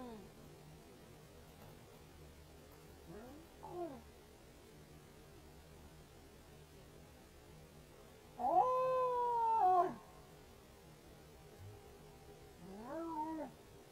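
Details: Wild male Canada lynx calling to attract a female while leaving scent on a property a week after a female with three kittens passed; faint short wavering yowls, then one loud, drawn-out, harmonic, slightly rising-falling caterwaul, followed by another rising yowl.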